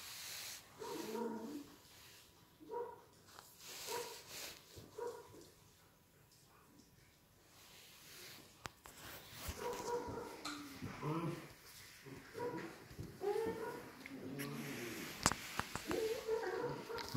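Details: Collie pups of an A litter born 21.01.18, healthy and eager to play, make repeated short whines and yelps, sparse at first and then denser, amid clattering, scratching and soft handling sounds.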